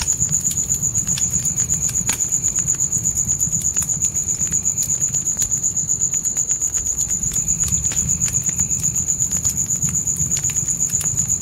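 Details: Forest crickets at night with a campfire crackling inside a tent: an unbroken, even, piercing high trill pulsing rapidly from start to finish, fire snaps scattered throughout and a low murmur of burning wood beneath.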